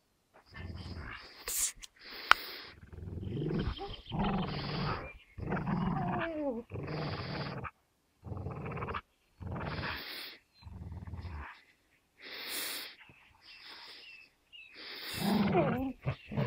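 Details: Two dogs, an American Staffordshire Terrier named Gerundio and a Beagle named Baloo, locked in a tug-of-war over a fabric toy. Bursts of deep, rumbling growls come in short bouts separated by brief silences.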